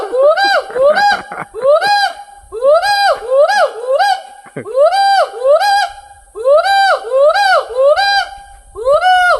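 Hoolock gibbon giving loud, rhythmic whooping calls, each note rising then falling, in fast repeated bursts.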